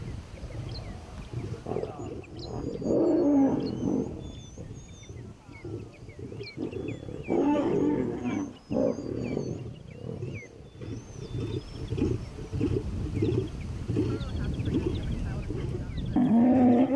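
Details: Captive African lions feeding on beef, a dominant large male claiming the biggest piece while lionesses fight back before conceding; long stretches of harsh, rumbling snarls and growls, with high bird chirps above throughout.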